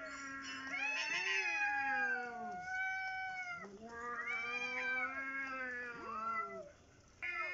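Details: Cats facing off in a dominance fight, staying put with people close by: overlapping wailing yowls, a low steady drone beneath higher wavering cries rising and falling in several-second surges, then a brief lull.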